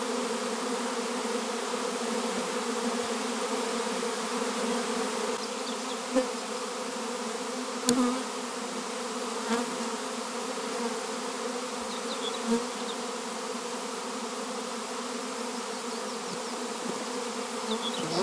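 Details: Loud, close swarm of honey bees, a powerful steady droning hum with pronounced low tonal bands and a few sharp knocks and clicks along the way.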